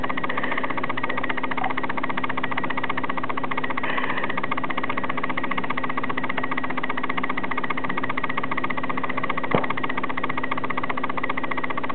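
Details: Constant droning engine hum with a steady low tone and regular mechanical pulsing, no animal voice heard.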